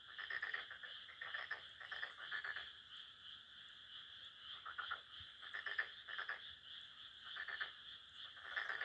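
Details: Frogs calling at midnight in a rice paddy near a home in Japan: dense bursts of rapid clicking croaks in chorus, pulsing in groups every second or so with brief lulls between.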